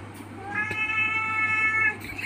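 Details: A male house cat meows once, a long level wail lasting over a second with rich harmonics, steady electrical hum and a few faint clicks around it.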